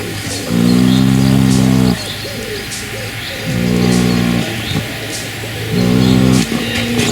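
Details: Three-month-old colt, Dutch Draft mother and Shire father, snoring: three loud, low, droning breaths of about one and a half seconds each with short pauses between, steady and rhythmic.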